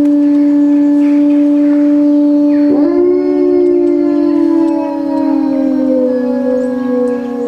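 Wolves howl together in long, sustained tones, one voice holding steady while another slides and wavers.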